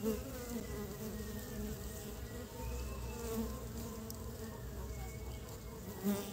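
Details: Early-spring honey bees hauling pollen back to build their nest; a sustained low hum of wings that rises briefly as a bee passes close at the start and again at the end.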